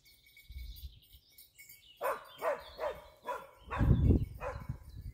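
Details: Dachsbracke in wild boar hunting training, barking outdoors: after two seconds of low rumbling, a run of five barks, the fourth louder and mixed with a heavy low thud, a faint steady tone behind.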